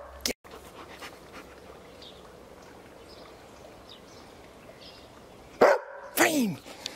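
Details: A 14-month-old Berger Picard learning to bark on command; one short loud bark near the end, followed by a second strained bark, over a quiet indoor background.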